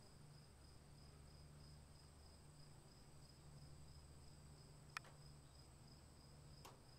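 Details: Crickets calling during rain: a steady, ringing high trill on two tones runs without a break, with rain hiss, a low hum, and two sharp tapping clicks near the fifth and seventh seconds.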